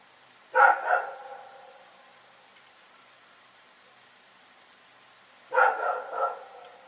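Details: Night barking from Rex the dog: a double bark, a quiet gap of about four seconds, then a triple bark in quick succession.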